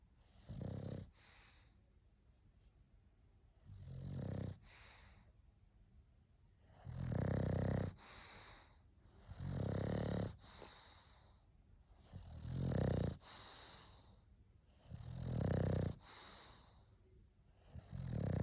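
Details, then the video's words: English bulldog asleep and snoring steadily, six deep, gravelly snores recurring about every two to three seconds with wheezy upper hiss, quiet breaths between. "Funny snoring english bulldog!"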